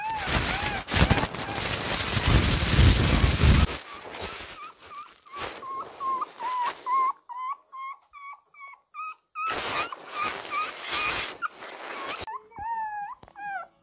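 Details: Shih Tzu puppy Ppukku, 20 days old, crying in anger for milk; loud rustling opens, then thin, choppy whimpers follow in rapid strings, rising at the end into a longer squeal.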